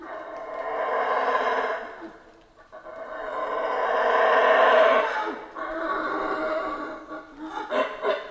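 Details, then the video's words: Central American rainforest howlers: a throaty roar rises, dips, then swells into a long, powerful howl before breaking into short, rhythmic, coughing grunts near the end. "Rainforest Howler Monkeys Sounds"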